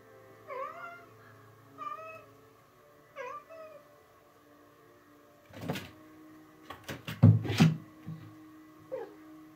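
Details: A female house cat indoors, playing happily with something she found to use as a toy; three short rising-falling meows in the first four seconds, then knocking and clattering thuds of play, one more faint meow near the end.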